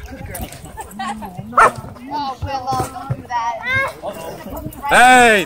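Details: Dogs at a dog park during a conflict involving a Bull Terrier and a German Shepherd. Short harmonic barks and whining yelps break through steady human talk, with a loud rising-falling yelp near the end.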